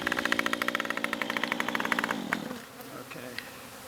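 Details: Honey bee swarm in a yard, dropped from a Ginkgo tree branch and marching into a hive: loud buzzy drone pulsing in rapid beats for two seconds, then fading to a softer hum with people talking nearby.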